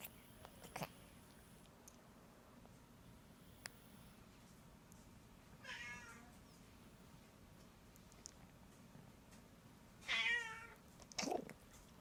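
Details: Domestic cat making funny noises while licking: a few scattered short meows and chirps, the loudest two close together near the end, with soft clicks and long quiet gaps.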